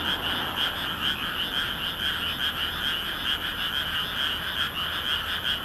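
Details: A full chorus of frogs in a rice paddy in Nagoya, Japan, on a moonlit May night in 2016, recorded with a compact camera; thick, steady croaking with gently swelling pulses throughout.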